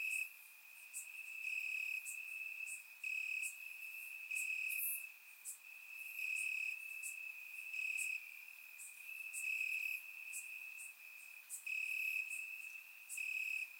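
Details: Grass crickets chirping through a warm Bulgarian summer night: a sustained high-pitched trill punctuated by rhythmic louder pulses in blocks of a second or so, roughly four per second, recorded in surround sound.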